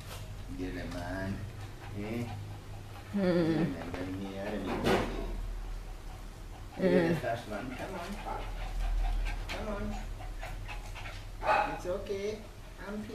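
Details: Chai Si, a pet dog in Chonburi, Thailand, filmed 22 May 2012, 'talking' as if scolding a returning person unseen for nearly two years. Wavering, speech-like moans in several bursts, with low hum and people's voices.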